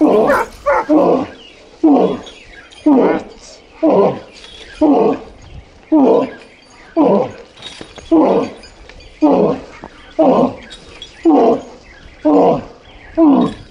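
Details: Dobermann named Boris, a neutered male of 14 months, walked without a leash in town and described as aggressive toward other dogs and cats; deep, full barks come about once a second in a long regular series.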